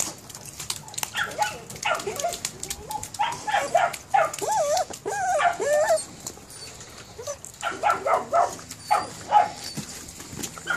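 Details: Perro de Presa Canario puppies, 72 days old, giving a series of high, wavering whines and short yelps in bursts, some sliding up and down in pitch, with brief pauses between and soft clicking noises throughout.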